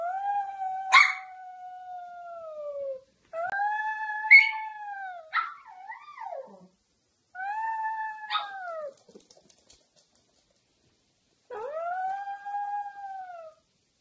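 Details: Domestic dog giving drawn-out, even howls, each a steady tone that bends slightly downward. They come in several separate bouts with quiet gaps, plus a short yelping wobble in the middle.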